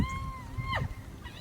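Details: A hyena, one of about 15 at a rhino carcass with vultures around, gives a clear tonal call that holds steady, then sweeps sharply downward, over a low rumble, as hyenas fight and chase vultures off.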